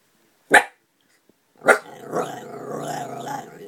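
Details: An Italian Greyhound, growling at a neighbour's dog, gives two sharp barks, then a low, rumbling growl that holds steady for about two seconds.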